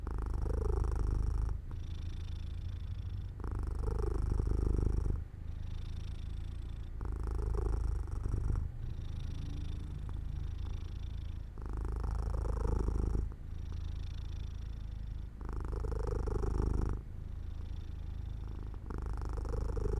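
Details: Cat falling asleep in sunlight beside an open window, purring steadily; a deep throaty rumble that rises and falls in about eleven breath cycles, alternating louder and quieter stretches.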